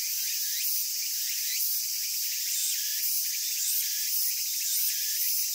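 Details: A cicada in Japan sings a steady, shrill, high-pitched buzz that swells in pulses about once a second.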